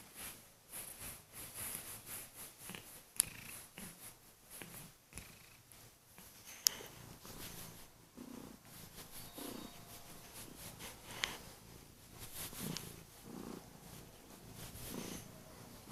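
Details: Kurilian Bobtail cat, female, indoors waking her sleeping owner in the morning by purring loudly and gently biting hands; a long rhythmic purr pulses steadily, broken by a few sharp clicks and faint rustling.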